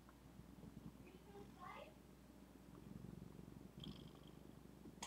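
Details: Zephy, a female pet cat, purring indoors: a steady low rumbling texture running throughout, with a few faint higher chirps and soft clicks scattered above it.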